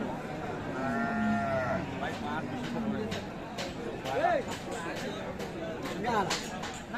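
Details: Sahiwal cows with calves at Aftabganj market, Dinajpur, Bangladesh, on 8 April 2025: one drawn-out, harmonic lowing moo lasting just over a second that sags slightly in pitch, followed by men talking and the bustle of the market crowd.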